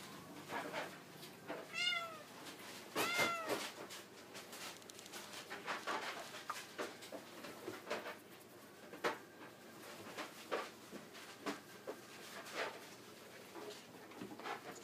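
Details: Male Bengal cat, brown spotted tabby, born February 2017, at a pet shop: two clear rising-falling meows near the start, then soft clicks and handling noises.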